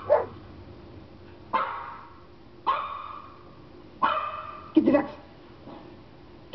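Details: A German Shepherd, reacting to dog barking sounds, gives loud, sharp barks at irregular intervals, each ending in a brief ringing tail.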